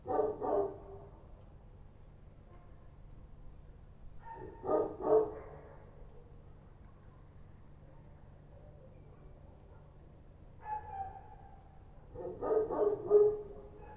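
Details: Night-time Kochi street dogs in Kabul bark in widely spaced bursts: a couple of barks, a long quiet gap, another pair, then a fainter bark and a final cluster of three or four.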